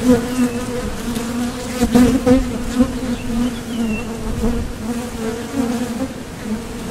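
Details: Foraging honeybees flying in and out at a Top Bar Hive entrance. A continuous low hum with brief louder surges as individual bees pass close, including a short swell around the two-second mark.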